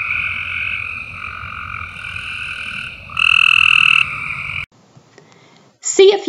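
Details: A Cope's gray treefrog near Moccasin Bend, Chattanooga, Tennessee, gives a harsh, buzzy, gargling trill; it calls from trees spring through fall, especially on rainy summer evenings.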